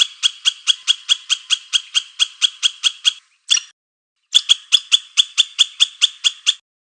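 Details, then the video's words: Squirrel calling in rapid repeated chips, a run of about three seconds, a brief pause with one isolated note, then another burst of evenly spaced sharp notes before falling silent. "เสียงกระรอก ສຽງກະຮອກ"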